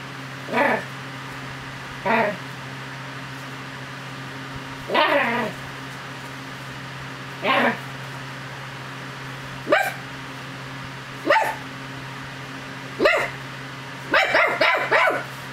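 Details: Chug named Angel Cake, a female pet, playing and fighting her owner's hand indoors: short sharp yips and barks sounding every second or two, ending in a quick burst of several yips, with a woman's affectionate voice between them.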